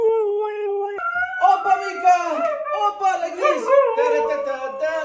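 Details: Female Siberian Husky howling during a dance lesson: a steady tonal note, then a jump to a higher wavering howl breaking into warbling, talk-like vocal modulations, with a person's voice mixed in.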